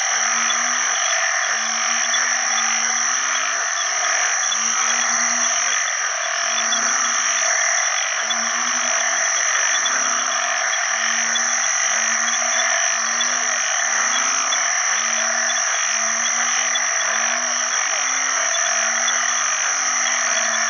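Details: Banded bullfrogs, the house species called ueng khi khan in Isan, call for mates at the start of the rainy season after heavy rain. Low, resonant moans repeat from several frogs throughout, with dense, ringing chorus of other frogs.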